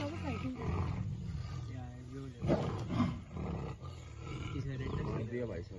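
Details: Male tiger T101 attacking a leopard in Ranthambore, India: deep, low rumbling roars with harsh bursts near the middle, mixed with people talking excitedly in Hindi nearby.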